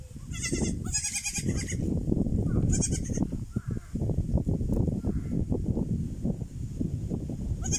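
A young goat gives high, wavering bleats in short bursts over a steady low rumble.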